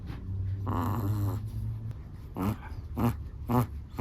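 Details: Sleeping Chihuahua snoring indoors: a low steady rumbling snore for about a second, then three short nasal, whining snorts about half a second apart, each with a faint whistle on top.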